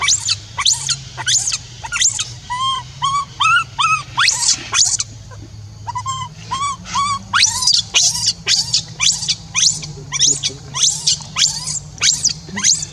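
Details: Young orphan monkey Rainbow, left alone, crying to call Libby back: rapid high shrill screams repeated about twice a second, mixed with short harmonic whimpering coos, over a low steady background hum.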